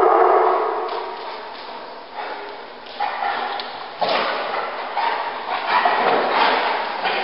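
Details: Dog barking in loud, noisy bursts, with sharp broadband barks near three, four and six seconds over a constant rough background hiss.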